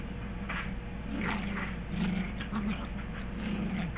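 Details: Two small dogs, a Chihuahua and a Maltese, at play indoors at a house, giving low rumbling growls in brief bursts about every half second to a second, over a constant background hiss.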